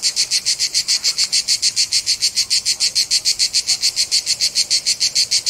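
A cicada gives a loud, harsh buzzing in rapid, even pulses, about three to four per second.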